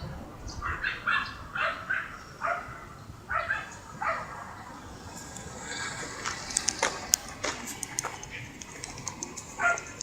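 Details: Siberian Husky called Mero, out on a relaxing walk with its owner, gives a series of short, sharp barks spaced about a second apart over the first few seconds, then quieter clatter and rustling as the outing continues.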